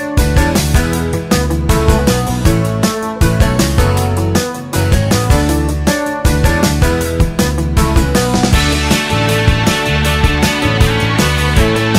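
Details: Loud, steady, beat-driven instrumental music with strong bass and dense percussion fills the whole stretch, with no other sound audible.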